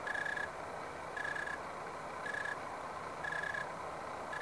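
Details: Unidentified insect in a backyard grapevine in the SF Bay Area, recorded 29 October 2015 shortly after sundown in dry 75-80 degree weather; short pulsed trilling chirps, each about half a second, repeat roughly once a second over a steady hiss.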